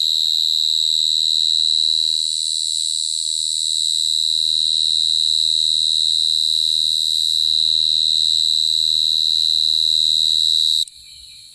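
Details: Shrill, sustained cricket trill on one high note with a strong overtone, evenly pulsed, dipping slightly in loudness early on, ending abruptly near eleven seconds into quieter noise.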